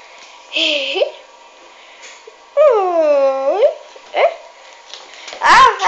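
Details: Puppies: high, wavering whines and a drawn-out squeal rising and falling over about a second, several separate cries across the clip.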